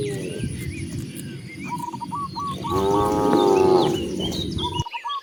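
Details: Free-roaming cows heading out to open grassland; a single drawn-out, wavering moo swells in the middle, over low shuffling noise, while a bird gives quick repeated chirps before and after.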